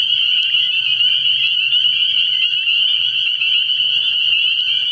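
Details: Spring peepers calling in dense chorus from a frog pond at night early in the year: a continuous shrill high peeping wall with no gaps, with a faint low pulsing hum underneath.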